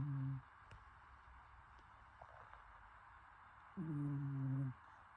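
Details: A pet cat named Teo-kun snoring while asleep indoors: two short, steady, low humming snore tones with a faint overtone, about four seconds apart, with quiet room noise and faint clicks between them.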